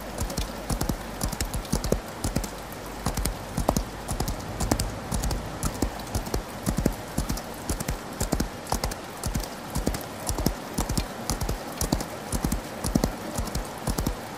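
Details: Horse galloping in the rain: dull, thudding hoofbeats fall in quick clusters, roughly two a second, over a steady hiss of rainfall that fills the background throughout.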